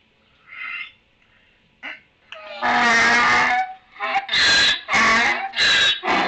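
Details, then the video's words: Donkey in a barn, recorded on 11-05-2018 around 14:35: after a few short quiet sounds, a loud harsh bray begins, a long sustained blast followed by rapid alternating hee-haw bursts about twice per second. "Donkey Barn"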